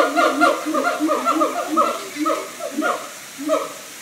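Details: Siamang apes singing at the Tampa Zoo: a rapid run of loud, bright hooting notes that slide up and down, overlapping in quick bursts, with louder bouts early and a fading close.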